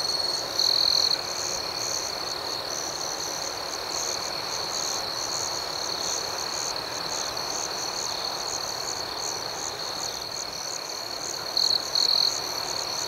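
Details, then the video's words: Crickets chirping through the night in a dense, unbroken high-pitched chorus. A closer cricket gives brief, louder trill bursts once near the beginning and twice more toward the end. "Soothing Cricket Sounds"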